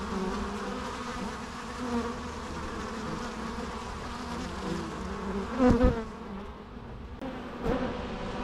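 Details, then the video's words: Continuous low buzzing of many bees, broken by a sharp, loud buzz of a single bee passing near the microphone just before six seconds, then a brief click-like sound. "natural bee sounds"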